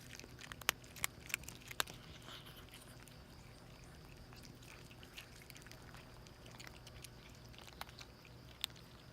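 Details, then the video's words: Hungry stray mother cat and her two kittens eating in a hurry; sharp crunching clicks come in a quick cluster early, then sparse, soft chewing over a quiet hum. "허겁지겁 먹는 길냥이 세모녀 hungry little cat with her kittens"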